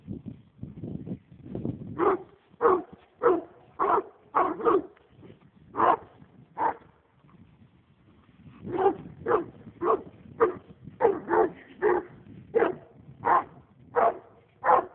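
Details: Leopard hound of the American breed on a roll cage, raccoon-crazed; low rumbling noise at first, then bursts of ringing barks, a brief quiet spell, and a long fast run of barks to finish.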